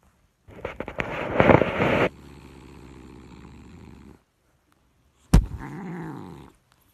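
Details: Domestic cat in a compilation of cute and funny cats: a loud rough purring burst rolls for about a second and a half, a softer low rumble follows, then a sharp click and a short harmonic meow-like call near the end.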